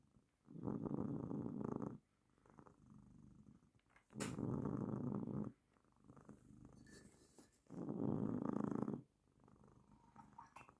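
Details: Female domestic cat purring on a lap while her person works: three steady, low, buzzy rumbling bursts of about one and a half seconds each, separated by quieter pauses that likely mark breathing, in a quiet indoor setting.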